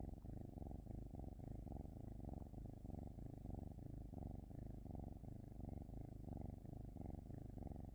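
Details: Cat purr, deep and vibrating, throbbing in regular breath-linked waves a little faster than once per second, sustained without pause and with a quiet, clean background.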